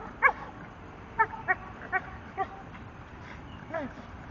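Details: A 10-month-old male Staffordshire Bull Terrier playing with his tyre gives short sharp barks, about five spaced through the clip with a softer whine-like yelp near the end, over faint background hiss.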